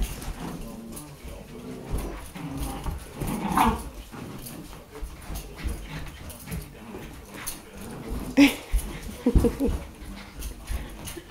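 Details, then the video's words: Sky, a tricolor Shetland Sheepdog, at play with a child indoors, recorded 15 January 2011; scattered short dog vocal bursts and soft whimpering noises over room sounds, with a little faint talking. "Tricolor Shetland Sheepdog named Sky - 15jan2011 at play"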